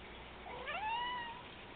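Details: Male pet cat indoors, meowing back when its owner talks to it: one clear, rising then level meow lasting under a second, following a woman's voice asking what it is doing.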